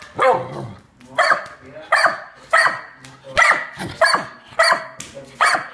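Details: Pit bull on the attack against an intruder, giving loud, rough single barks spaced about every half to one second, each a harsh broadband burst.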